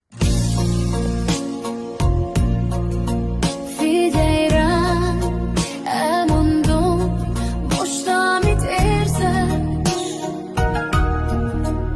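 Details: Loud sung music with a steady beat and vocal melody fills the whole span, with no animal sound.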